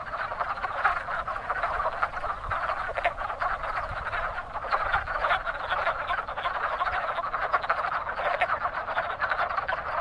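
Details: Wood frogs breeding in spring at a crowded pond, their quick clucking croaks overlapping into a dense, unbroken chorus with slight swells in loudness.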